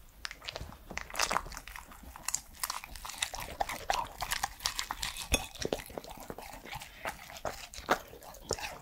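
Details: Pet Welsh Corgi Pembroke, a three-year-old male, chewing and making mouth sounds at close range indoors: rapid dense clicks, smacks and crunches, several each second, with brief louder bites throughout.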